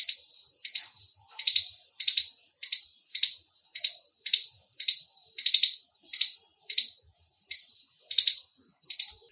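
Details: Indian squirrel calling with a loud, insistent chirp series: raspy, high chips about every half second to second, evenly sustained, with faint low background noise.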